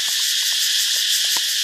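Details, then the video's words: Loud katydid noise in Thailand, recorded in daylight around 9:30 near a beach: a dense, steady, hissing high-pitched buzz with a fast shimmering pulse and no pauses, plus a few faint soft knocks underneath. "Katydid Noise in Thailand"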